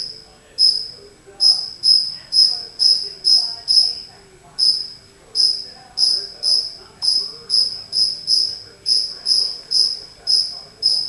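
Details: Chirping from a single cricket that strayed inside a home, its shrill pulses repeated about twice per second in a long, fairly even series with a couple of brief breaks.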